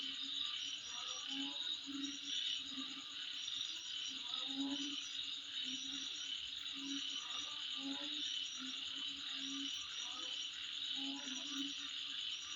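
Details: Insects calling at midnight: a dense, steady high-pitched buzzing chorus with rows of rapid ticking pulses on top, while low croak-like notes repeat irregularly beneath throughout.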